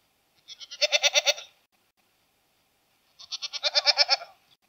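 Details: Goat. Two wavering goat bleats, the second longer and stronger, each pulsing rapidly like a trembling 'meh-eh-eh-eh'. Quiet gaps separate the calls, with no other sounds around them.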